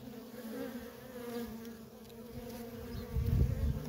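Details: Constant hum of worker honey bees trafficking at a feral colony, a low steady drone that grows louder and rumbling near the end as a bee passes close.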